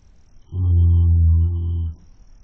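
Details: A horse, caught on a webcam, snores: one long, deep, droning breath lasting over a second, steady and buzzing.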